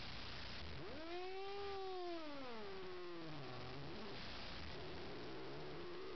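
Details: A foster Bengal cat that hates the household's other cats lets out a long drawn-out yowl. It rises, then slides slowly down over about three seconds, and a quieter wavering moan follows, all over a steady background hiss.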